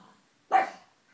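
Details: A single short, harsh bark from a pug, sudden onset and fading quickly, in an otherwise quiet room.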